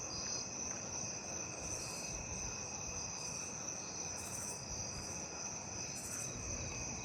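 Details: Several narrow-winged tree crickets sing in a neighbourhood on 8/19, a continuous high ringing trill, broken every second or so by sharper ticking from other insects, with lesser anglewings calling nearby.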